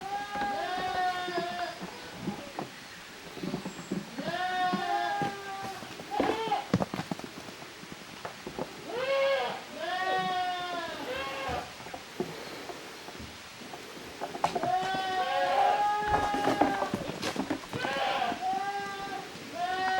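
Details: Goat kids from two litters playing together in the exercise yard of a handmade goat farm, 13 June 2023; many overlapping wavering bleats, some high and nasal, some lower, coming in quick irregular bursts, with thuds and rustling between calls.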